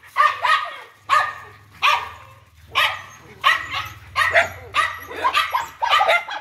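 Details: Dog barking indoors, short broadband barks roughly every second with a low rumbling hum beneath and some speech mixed in.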